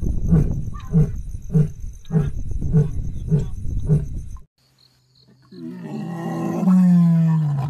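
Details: Asiatic lion in Gir National Park, Sasan Gir, heard on safari: seven deep, evenly spaced grunts about every half second, then a pause and a rising, tonal groaning sound.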